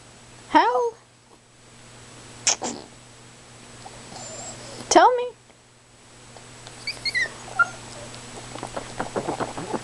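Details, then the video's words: Precious, a female Chihuahua, demanding and excited, gives two short rising-and-falling whining howls a few seconds apart, with a person talking to her in between and afterwards. "howling and demanding chi"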